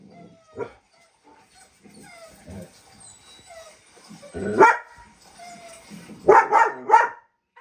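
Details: A German Shepherd, set off by the sounds of other dogs, gives several loud, deep barks after a stretch of quieter background sounds.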